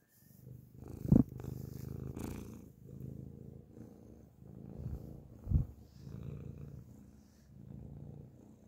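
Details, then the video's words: A grey cat purrs loudly at close range, a soft low rumble in waves, broken by two sharp clicks or knocks near the start and midway. "beautiful grey cat purrs loudly up close"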